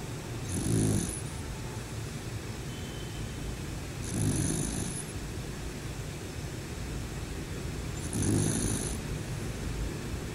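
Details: Sleeping bear snoring; three deep, gravelly snores about four seconds apart, each a short low rumble swelling out of a continuous soft hiss.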